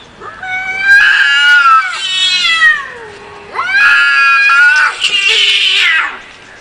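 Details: Two big cats fighting, loud noise: two long, drawn-out wailing yowls, each wavering up and down in pitch and lasting about two and a half seconds, with a brief quieter pause between them and no other sounds.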